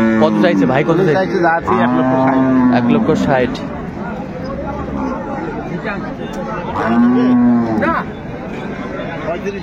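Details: Dairy cattle of improved breed at Ambari haat cattle market in Dinajpur, 10 February 2025: three deep, drawn-out moos, the first and second long and the third shorter, over a steady murmur of market crowd voices.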